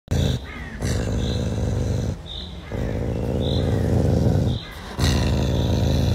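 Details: Pumba, a caracal, feeds while vocalizing: a deep, continuous rumbling growl broken by brief pauses roughly every one to two seconds, with faint higher squeaks over the top.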